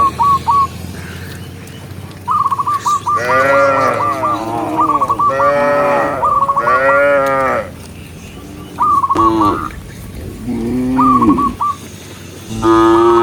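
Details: Cows being herded in the countryside, part of a group of dozens, moo in a series of bellowing, wavering calls in the middle, separated by quieter stretches filled with quick, repeated high chirping notes.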